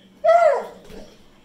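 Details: Begging for more chicken after finishing his piece, the Pit Bull Zeusy gives a brief, bright howl that slides downward and fades within half a second.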